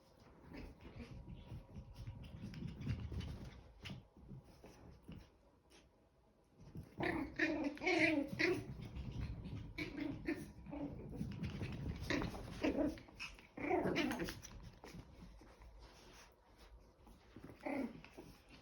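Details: Two 10-week-old Chihuahua puppies play-fighting, trading bursts of short harmonic yaps and growly whimpers in clusters around the middle and later seconds, with quieter shuffling and rustling between bouts.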